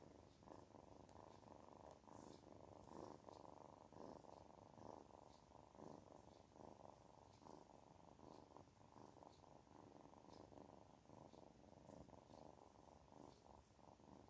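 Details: Kitten purring contentedly: a loud, dense, rumbling purr that pulses steadily with each breath, roughly every half second to second, throughout a quiet indoor setting.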